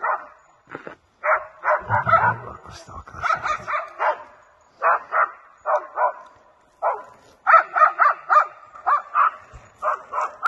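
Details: Two seven-month-old West Siberian Laikas bay in rapid, ringing bursts of barks, holding a maral (red deer) at bay for the hunter in Tver Oblast, Russia.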